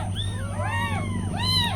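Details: Newborn kittens with their mother cat give tiny, high meows. Several overlapping arched calls rise and fall, one after another, over a steady low hum and a faint high whine.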